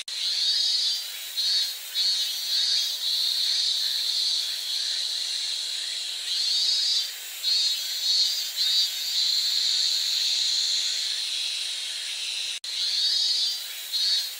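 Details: Cicadas singing in a dense, high-pitched hissing drone that pulses and dips every second or two, with a brief break near the end before the buzzing resumes.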